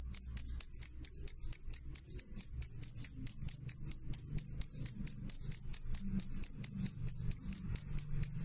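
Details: Loud, clear cricket chirping: a steady run of sharp, high, ringing pulse bursts repeating quickly and evenly, over two per second, with a faint low hum in the background.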